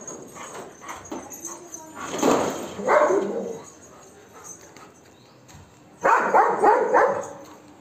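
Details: Golden Retriever Max barks at monkeys to drive them away, two short clusters of rough barks, one early and one late, separated by a quieter stretch with faint background noise.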